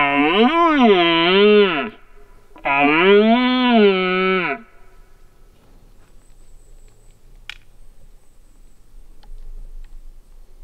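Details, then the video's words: Red deer stag roaring during the rut as hunters stalk him; two long drawn-out roars of about two seconds each, each swelling up and sinking in pitch with rich harmonics, then quiet with faint rustling and a click. "The moment that I stepped my foot out the car, I've heard some stags roaring"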